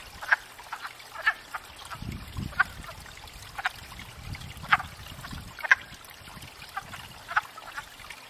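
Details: Wood frogs at a pond in spring, gathered to court and breed; spaced clucking croaks about once a second, with a low rumbling disturbance in the middle of the recording.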